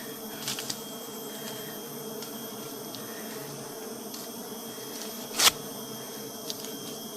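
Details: Honey bees hum steadily in a low, layered drone while honey is being collected, with a faint high steady tone above and a few sharp clicks and one loud knock partway through.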